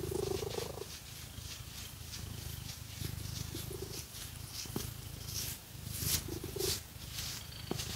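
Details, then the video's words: Pet cat purring as fake nails scratch its fur; a low, even rumble broken by short inhale surges, with sharp rasping scratch sounds and rustling above. "Scratchy Cat Massage | 🐈 Lots of Purring"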